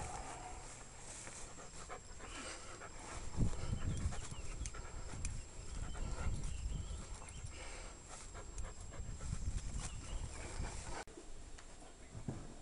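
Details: Sasha, a female German shepherd adopted from a shelter, holding a firm bite grip: heavy, rough low breaths surging in uneven waves with steady rustling and scuffling throughout.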